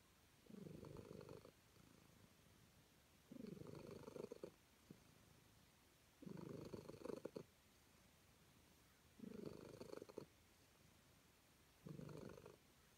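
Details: Calico cat purring happily while being petted indoors: five rumbling purr bursts, each about a second long, separated by roughly two-second quiet gaps.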